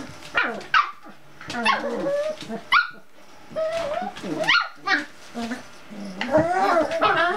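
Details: Playful Cocker Spaniel puppies around a kitchen stool: short squealing yips and little barks with wavering pitch come in quick clusters, with quieter gaps between them.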